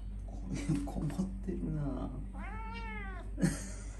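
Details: Domestic cat indoors giving one clear drawn-out meow, arched and harmonic-rich, in the middle, with soft human voices murmuring before and a short sound near the end.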